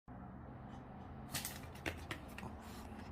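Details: Steady indoor room hum with scattered soft clicks and thumps, and no barking or other animal voice.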